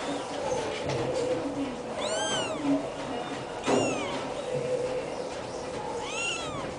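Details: Black kitten meowing three times, each a high arched mew sliding up then down, spaced about two seconds apart over a steady background hum.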